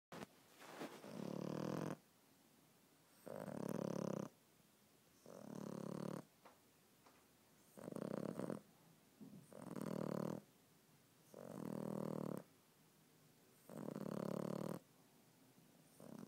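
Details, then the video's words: Pet dog snoring loudly, long raspy breaths about every two seconds, seven rough snores alternating with quiet pauses, steady and regular. "More snoring"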